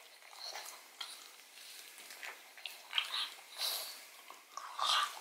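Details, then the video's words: Odin, a pet pug, working at a marrow bone inside a small room: soft wet licking and gnawing with louder crunching pulses around three seconds and a sustained slurping burst near the end. "ASMR Dog Eats Bone Marrow [Pug/Mukbang]"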